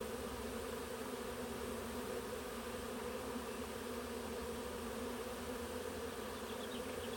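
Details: A Western honey bee swarm moves into a Warré hive beside a blackberry hedge on the Olympic Peninsula, USA. It is mid-afternoon on 23 June 2025 in mild weather in the 60s. The clip is a dense, steady drone of many bees buzzing together.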